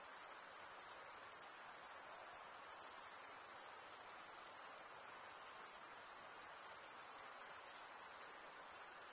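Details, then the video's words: Steady nighttime-style cricket chorus: a dense, very high, sizzling trill sustained without pause for the full length, gently wavering in loudness, with only soft background hiss and no other sounds. "Most relaxing cricket sound for 8 hours"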